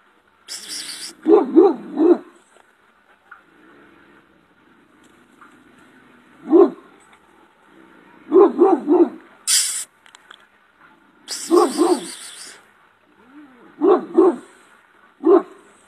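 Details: Shepherd dog with a powerful bark, giving low, gruff barks in short bursts of two to three, spaced irregularly, with occasional sharp hissing or rustling noises between bursts.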